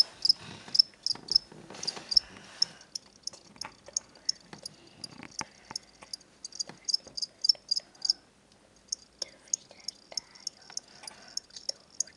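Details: Indoor chirping from two pet crickets bought at a pet shop as reptile food: high, sharp chirps in rhythmic bursts with a silent stretch, over clicks, rustling and faint household noise.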